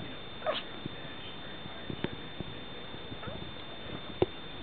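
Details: Pet Chihuahua giving in during a staring contest with its owner: one short high whine near the start, then quiet, then a single brief soft woof near the end, over a steady low indoor hum.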